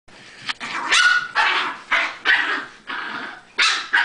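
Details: Chihuahuas playing, giving a handful of sharp high barks in uneven bursts, some drawn out into yelps, with short gaps between them.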